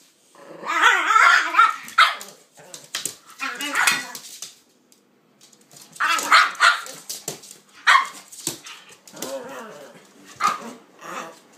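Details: Play between Kaiser and Viki, a pitbull and a King Charles spaniel; rapid bursts of excited barking and growly yaps in clusters, with short pauses between flurries and a human voice mixed in.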